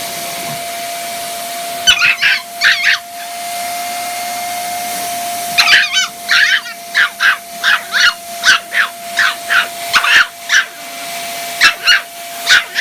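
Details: A Chihuahua puppy gives rapid, high, yappy barks in quick bursts at a scary vacuum cleaner, over the vacuum's steady drone.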